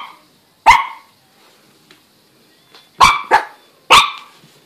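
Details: Shih Tzu puppy barking at a walking stick indoors: four sharp, high yaps, a single one then a quick pair and another, with faint rustling between.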